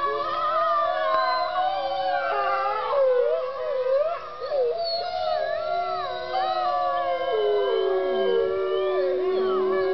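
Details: Several gray wolves at Bays Mountain Park, Kingsport, Tennessee, howl together, long sliding tones overlapping in a wavering chorus.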